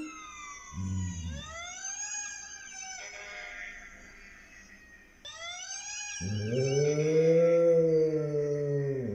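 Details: Dog howling along with a fire truck siren: rising and falling siren wails fill the first half, then a loud, low, drawn-out wavering howl with rich harmonics takes over.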